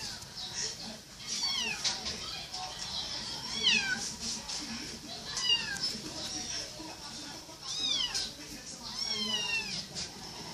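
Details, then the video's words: Kitten calling with a series of high, falling meows, some in quick pairs, spaced irregularly across the recording over constant hiss and soft talking. "Little Kitten says meow"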